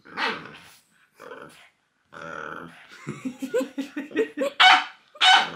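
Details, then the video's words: Pointing fingers set off Loki, a French bulldog: grumbling, growly vocalising rising in a rapid stutter of short pulsed sounds, then two sharp loud barks at the end. "WHAT POINTING FINGERS AT DOG CAN DO"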